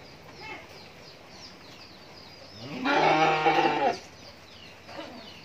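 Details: Rani Shankar crossbred cattle, one of a pair of ten-month-old heifer calves at a dairy farm in Bhangura, Pabna, Bangladesh: a single loud, rich, drawn-out moo of about one second that rises then holds steady, with faint bird chirps behind.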